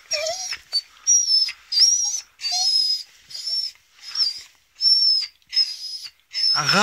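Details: Adult female beagle, angered by teasing, voicing a run of high, strained whines and squeals in uneven bursts with short pauses, some notes sliding up and down, closing on a lower, harsher rasping sound.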